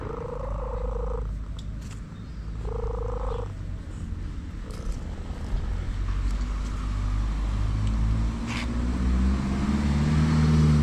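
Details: Orange cat enjoying a massage gives two flat, held meows in the first few seconds, after which a rising engine-like hum of a passing vehicle swells and dominates.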